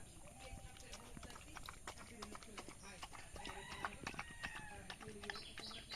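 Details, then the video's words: Village dog eating rice, giving rapid, irregular clicking and smacking chews, close to three per second, over distant human voices and faint chirping birds. "Village dog eating rice | dog eating sound effect | dog eating food"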